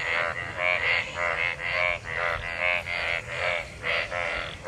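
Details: After monsoon rain, a crowd of frogs in collected rainwater calls while mating; rhythmic, reedy croaks with rich harmonics come a little more than once per second, layered over a steady hiss.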